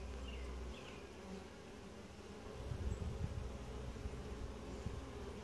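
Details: Honey bee colony during a typical hive inspection, described as quiet, gentle and calm; a steady low droning hum fills the clip, swelling slightly louder midway, with faint higher buzzes from individual bees.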